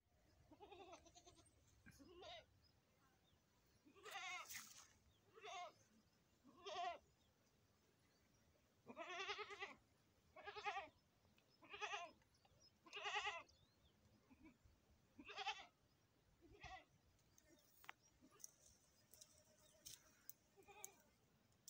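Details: Goat around a premature birth, bleating in a series of short harmonic calls of about half a second to a second, some wavering, spaced irregularly, roughly two dozen a minute, with quiet gaps between.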